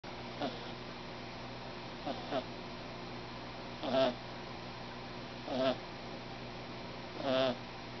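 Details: Kitten named Snoring, a little male cat with a loud snore for his size, giving brief raspy snores at irregular intervals, some soft and doubled, others louder and longer, over a quiet indoor hum.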